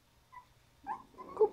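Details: Havanese puppies at five weeks old, from a litter of seven (three females, four males) of Max and Cookie, indoors; a faint brief squeak, then two louder short tonal whimpers, the last one sharper and rising in loudness.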